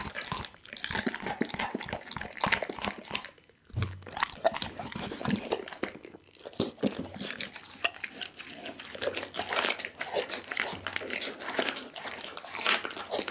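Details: Pit bull Doggy munching through a whole raw chicken in a small room: steady, bright crunching and bone-splintering bites, two brief silences early on, then unbroken chomping to the end.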